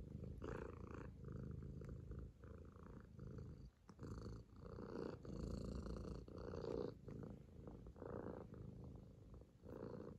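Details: Purring kitten Bıdık on a lap making biscuits out of affection; a low throaty rumble in rhythmic breath cycles, briefly pausing near the middle, faint rustling around it.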